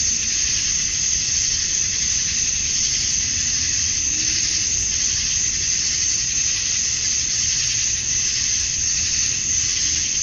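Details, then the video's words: Georgia, USA summer dusk: male cicadas buzz to attract females in a steady, piercing, sizzling chorus that rises and falls only slightly, with a soft low hum in the background. "Cicadas at Dusk, Summer Night"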